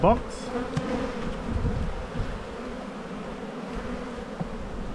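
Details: Honey bees in a bee yard during spring buildup, at the black hive full of brood, recorded on 7-9-22: a steady low hum holds through the whole stretch, with a brief human voice at the very start.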